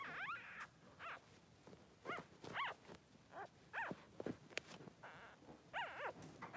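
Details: Blenheim Cavalier King Charles Spaniel newborn, three days old, one of Pom-Pom's two boys in the puppy pen: scattered short rising-and-falling squeaks and chirpy whimpers separated by pauses, with soft rustling between.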